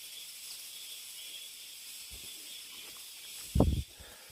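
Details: Mountain-forest cicadas keep up a continuous high, hissing drone through the whole stretch, broken near the end by one heavy thud of a footstep on the hiking path.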